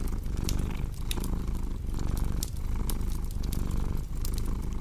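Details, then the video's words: Cat purring, a steady low rumble that swells and dips with each breath about once per second, overlaid by sharp pops and crackles from a burning fireplace. "Purring Cat with Cozy Crackling Fireplace Sound"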